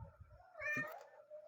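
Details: Domestic cat giving a brief, bright meow with a quick rising onset and falling tail, over low rustling and thumping sounds in a small room.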